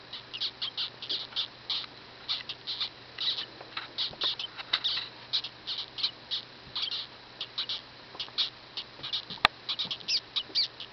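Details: First-day baby dwarf hamsters squeaking from inside the cage, once mistaken for asthma: dense runs of shrill, clipped peeps repeating irregularly, a faint electrical hum beneath and a sharp click near the end.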